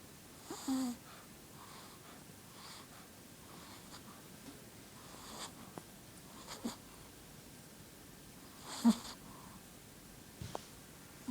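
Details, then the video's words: Bella, a pet Shih Tzu, asleep indoors in a quiet small room, gives soft wheezy snoring breaths with a few sharper snorting, whistling wheezes near the start, middle and end, separated by long near-silent stretches. "adorable shih tzu snoring"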